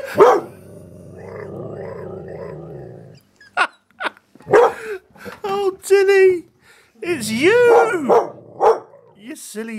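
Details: Confronting her reflection for the first time, an eight-month-old dalmatian x border collie dog grumbles low for three seconds, then lets out a run of barks and wavering, rising-and-falling vocal 'talking' sounds, while a person speaks.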